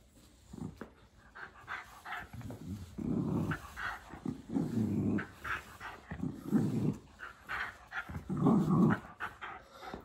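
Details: During a tug-of-war game, a Miniature Schnauzer growls in low, throaty bursts broken by panting breaths, the rumbles swelling and fading irregularly through the whole stretch.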